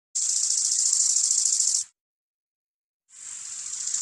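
A grasshopper gives a dry, hissing buzz that lasts nearly two seconds, then starts again after a pause.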